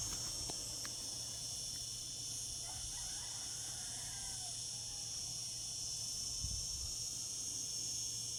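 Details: Singing cicadas on a summer day: a constant shrill, buzzing wall of sound high in pitch, with a few soft clicks and faint low thumps in the background.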